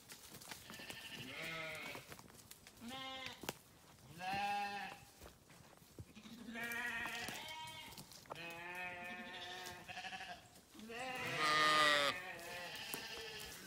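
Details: Sheep bleat repeatedly, several animals overlapping in wavering, nasal calls of varied pitch, some short and some drawn out, ending with a loud strained bleat.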